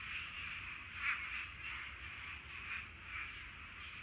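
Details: Swamp frogs in a mating chorus on a Florida summer night: overlapping pulsed croaks swell and fade in rough bursts over a steady high insect drone.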